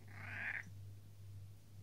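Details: A pet cat lets out one short, breathy meow of about half a second while being spoken to at home, followed by quiet, with a steady low electrical hum throughout.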